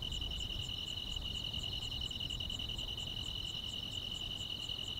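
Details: Summer-night grass insects in the countryside: a continuous shrill, even trill with rapid pulsing, plus a fainter beat of high clicks, against soft low background hiss.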